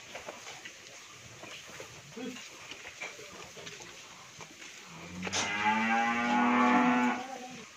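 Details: Sahiwal bull calf from a pair kept on a dairy farm in Bhangura, Pabna, Bangladesh, weighing over seven maunds; after several seconds of low rustling background noise comes one strong, rich moo lasting about two seconds.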